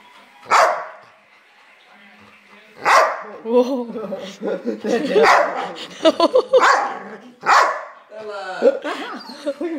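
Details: Dogs in a fight, a Labrador turning on an Old English Sheepdog puppy: several loud, sharp barks spaced a few seconds apart, mixed with harmonic whining and growling noises and people talking in the background.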